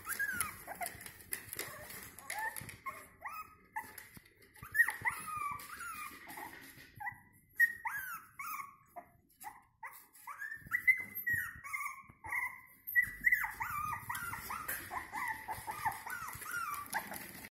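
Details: Several 5-week-old Jack Russell Terrier puppies squeal, whimper and yelp in high, overlapping bursts.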